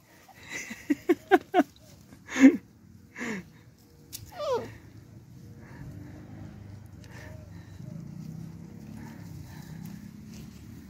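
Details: Beagle puppies fighting over things they want: a quick run of four sharp yelping barks, a louder yelp, then short rising whines and growly squeals, fading into low rumbling background noise.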